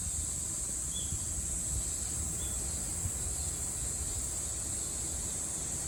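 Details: Cicada singing during a Japanese summer, 2022: one continuous, shrill, unwavering hum at high pitch over a low background rumble.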